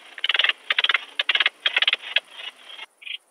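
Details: Alpine saw bush-cricket song, recorded at Brixen, Italy, on 11 September 2022 with a Pettersson D 100 ultrasound detector: about five short bursts of rapid ticking pulses, each burst half a second long, followed by a faint single chirp.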